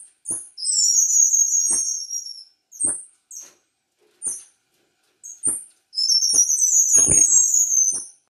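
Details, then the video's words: Captive Himalayan striped squirrels in an aviary give very high, thin chirps and falling whistled sweeps in quick bursts, protesting after being put back following cleaning of their enclosure. "Tamiops Macclellandii squirrel sounds - versi scoiattolo"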